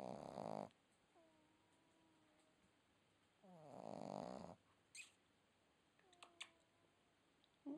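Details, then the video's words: Sleeping red Boston Terrier puppy gives rattly snores, one at the start and another near four seconds, with soft wavering whistles between breaths, followed by short snorting sniffs. "Red Boston Terrier Puppy Snoring"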